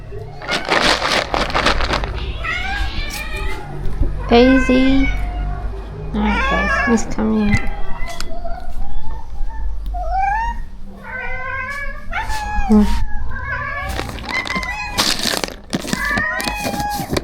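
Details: Rescue cats at a shelter being fed, part of a colony of more than thirty strays; many overlapping meows, some rising and falling, others short and wavering, repeated throughout, with a woman speaking softly and kitchen clatter.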